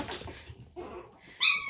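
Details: A Chihuahua puppy teasing its littermates; soft scuffling, then one sudden high, tonal yelp-whine that holds briefly at the end.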